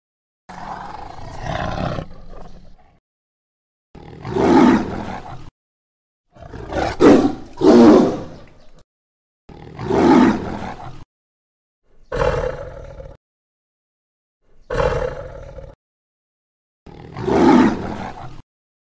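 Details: Jungle tiger delivering about eight separate roars over nearly twenty seconds. Each is a short, gravelly, forceful burst, one a quick double, spaced by brief silent pauses.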